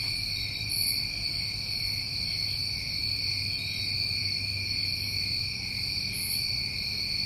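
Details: Summertime crickets from New England keep up a constant shrill, ringing drone, with occasional very high buzzy pulses and low background hum.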